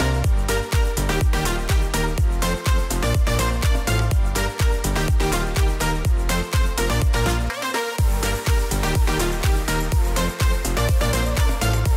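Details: Loud electronic dance music with a steady thumping beat plays throughout, with no animal sound.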